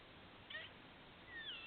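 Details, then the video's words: Squirrel heard from a patio, thought to have hiccups: two brief, high squeaky notes about a second apart, the second one longer and sliding downward, over a steady faint hiss. "Squirrel with hiccups"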